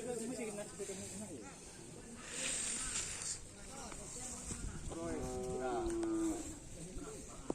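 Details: Karapan racing bull being trained at the Asemanis field: after lively voices and chatter, a short, flat, harmonic bellow lasting just over a second, with background crowd noise.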